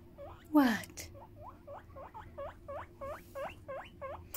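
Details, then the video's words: Pet hamster being talked to and given a head scratch, giving a run of short rising chirpy squeaks, about three per second, after one louder rasping note, with a soft human voice murmuring. "Talking to a hamster"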